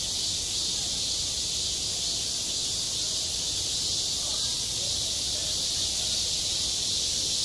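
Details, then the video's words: Midsummer cicada chorus over a school playground, one steady shrill buzzing wall of sound with a slight pulsing texture, continuous from start to finish, with quiet low background noise. "한 여름 운동장에서 매미가 울고 있다 - 여름의 소리, 학교 종소리, 매미 울음소리"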